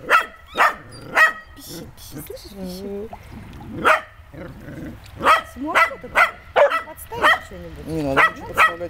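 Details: Dogs playing with water bark in quick clusters, with short voice-like sounds breaking in between the barking bursts.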